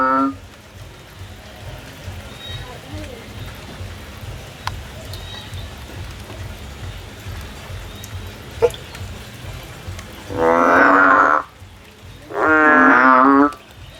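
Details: Frog climbing a tree looking for a way out, giving two loud, drawn-out, harsh croaks about two seconds apart. Each croak lasts over a second and has a rich, layered tone. A low steady rumble runs underneath.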